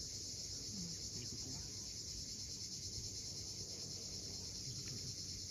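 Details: On a steep Crimean cliff at Cape Fiolent at sunset, cicadas produce a steady, bright, even buzz with no pauses. Low surging sea noise fills the bottom, and a few soft, faint chirps surface early on.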